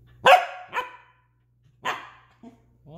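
A corgi lets out short, forceful barks spaced about a second apart, begging to play. A person talks questioningly between the barks.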